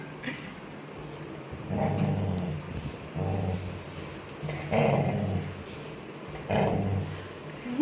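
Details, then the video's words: Labrador Retriever puppy, angry and wanting food, growling: low, rough rumbling bursts repeated about every one and a half seconds, four in all, with people talking nearby. "Labrador puppy #snow gets angry"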